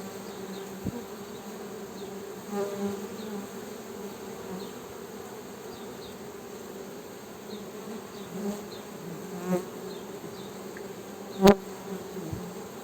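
Honey bees make a steady low hum from beating wings, with a few sharp clicks.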